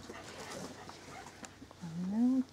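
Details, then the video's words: Male Corgi puppy born 19 January 2012, recorded on 26 February: after a quiet stretch of faint indoor noise, one rising, tonal whine lasting about half a second. "コーギー 仔犬"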